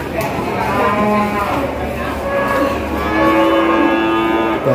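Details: Feeder cattle lowing at a pre-Eid al-Adha livestock market, several overlapping moos of different pitches, one long low call near the end, set against busy crowd noise and voices.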